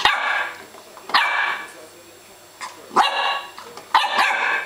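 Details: Young female Welsh Springer Spaniel at home in June 2012, barking at a doorstop: four loud, rasping barks spaced roughly a second apart, each with a short trailing tail.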